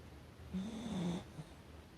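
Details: Sleeping Chihuahua named Hacchi, recorded indoors on 29 April 2020 at about 15:40 by a breezy window, gives one low, drawn-out rasping snore lasting under a second, followed by a soft breath.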